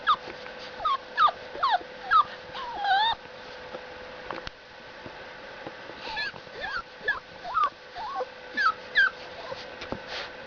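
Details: Boxer puppy, seven weeks old; a series of high, thin whimpers and yips, many sliding downward, coming in bursts of several calls, with a pause around the middle and a steady faint hum underneath.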